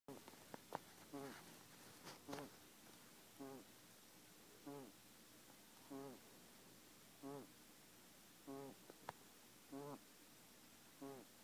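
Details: Pet guinea pig with a breathing problem, indoors: short wheezy, buzzy rasps with stacked tones, repeated at a steady pace about every 1.2 seconds over quiet room background.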